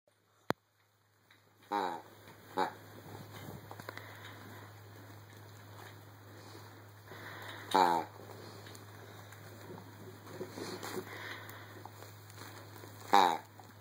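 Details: A playful Rottweiler in the early morning gives a few short, harmonic vocal bursts spaced several seconds apart over a steady low hum.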